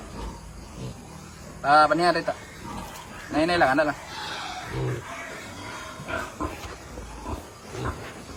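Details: Landrace pig on a hog farm, offspring of a boar from the US: two loud, wavering squeals about one and a half seconds apart, then softer short grunts, while a man talks throughout.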